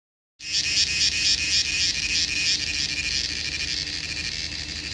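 A cricket chirps steadily, a high shrill trill pulsing about four times a second.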